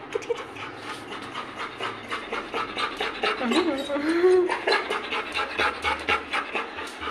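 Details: Labrador Retriever panting steadily in fast, regular breaths about twice a second throughout, with a brief human voice rising and falling in the middle.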